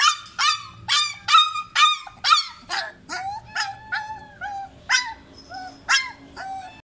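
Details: Baby dog crying with short, sharp yelping whines at first, then softer, lower, wavering whimpers, repeated a little over twice a second throughout.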